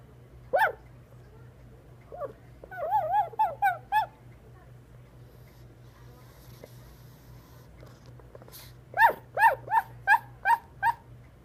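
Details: A sleeping, dreaming dog gives a lone yelp, then a run of short, rising-falling whining yips, and another rapid series near the end, over a steady low hum.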